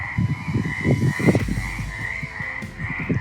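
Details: Frogs in a château moat in Avensac, Gers, southern France, croak in low, rapid bursts at night, with a steady high insect-like drone above.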